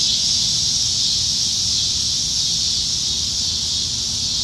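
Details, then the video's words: Cicadas in Nebraska trees during the dog days of summer, evening of July 2019: a constant, even, high buzzing wall of sound with no breaks. "Summertime Evenings in Nebraska - Cicadas"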